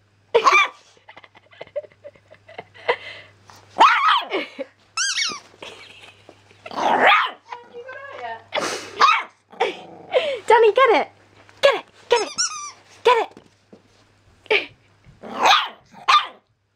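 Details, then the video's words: A seven-week-old male Jack Russell Terrier–pug cross (Jug) puppy, barking this much for the first time, gives a string of high, yappy barks and short whines at a squeaky toy. "Danny Boy the jug puppy first barking at a squeaky toy"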